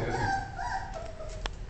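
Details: Beagle puppies fighting indoors until their mother dog ends the scuffle; one brief, high, tonal whine glides downward over soft shuffling noise, then ends in a sharp tap.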